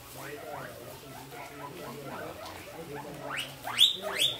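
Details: Guinea pig (Cavia porcellus), squeaking calls.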